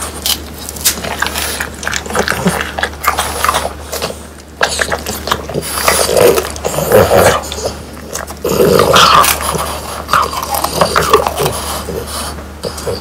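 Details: French Bulldogs eating whole quail that was dried by hand until crisp, bones included. Dense crunching and chomping with snorty grunts and growl-like noises, loudest midway, over a steady low indoor hum.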